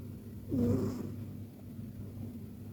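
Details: Persian cat asleep and snoring: a single brief, soft, low rasping snore swelling and fading within half a second, then near-silence.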